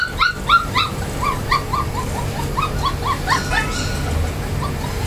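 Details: Golden Retriever puppies in Chennai, a litter of several, giving rapid high whimpering yips and short rising whines that overlap one another, about three or four a second, with a low background rumble.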